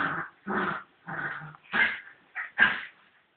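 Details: A fox terrier fighting with a cat gives six loud, harsh growling snarls, each about a quarter to half a second long, separated by short pauses, with the last bursts sharper and higher.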